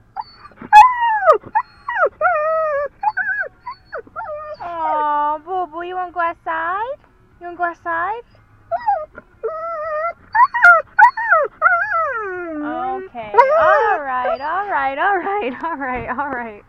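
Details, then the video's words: Female dog overexcited about going to the dog park: long wavering whines and howl-like moans, pitch sliding up and down in drawn-out tones, growing into a rapid frantic cluster of yelping whines near the end. "Going to the DOG PARK!!!!"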